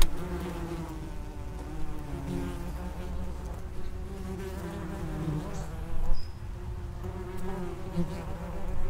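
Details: Low, humming wingbeats of common wasps (Vespula vulgaris) gathered at an underground nest entrance. The buzzing holds fairly steady, with a brief louder surge near six seconds and another at the close.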